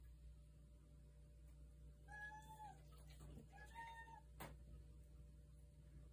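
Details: Female house cat meowing in the middle of the night, wanting to go outside, recorded indoors on a phone: two drawn-out, steady-pitched meows about half a second each, a second apart, over a low electrical hum.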